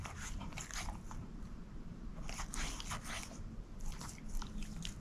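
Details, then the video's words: Female shepherd mix Moose eating a bone, with dense crunching bursts repeating roughly every half second over a low rumbling background. "SHEPHERD EATING BONE ASMR"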